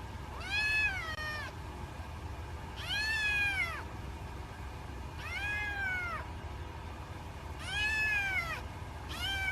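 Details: Kitten meowing, five similar high meows repeated about every two to three seconds, each rising then falling in pitch, with steady low background rumble.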